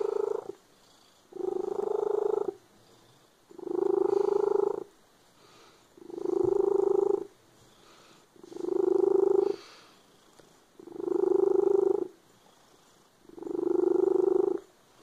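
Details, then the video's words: A cat with a loud purr: low, rumbling, buzzy bursts rising and falling with each breath, seven rounded swells roughly every two seconds, with short quiet gaps between. "The cat with a loud purr."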